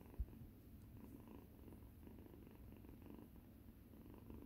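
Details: Steady low rumbling purr from a rescued tangerine kitten at play with resident cat Yuzu's large tail in a quiet room, one brief knock at the start.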